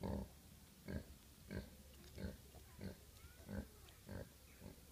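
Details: Recent litter of pet micro pig piglets at a UK breeder; short low grunts repeated roughly every two thirds of a second, with faint high squeaks between them.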